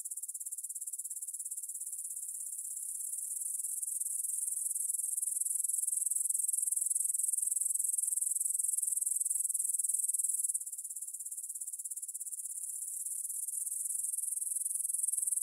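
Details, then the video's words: Grasshoppers stridulating in a meadow near the Svensky monastery, Bryansk, Russia, at 9pm on 6 September 2020, recorded in stereo on a Tascam DR-44WL: a continuous high, shimmering buzz that swells after four seconds, dips briefly near ten seconds, then builds again. "Звук для сна: кузнечики на лугу – Grasshopper Sounds in the Field"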